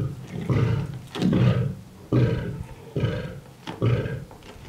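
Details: Free-roaming lions at a feeding at Mount Etjo Safari Lodge, Namibia, eating and fighting over meat; five short, deep rasping growls of about half a second each, roughly one every second, low and harsh.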